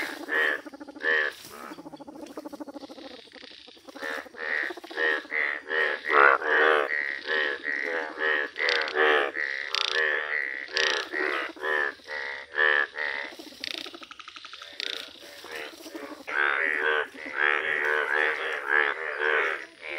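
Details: Many Indian bullfrogs, rare yellow individuals, call together outdoors: dense, rapid, throaty croaks tumble over one another in a near-continuous chorus, rising and falling in loudness.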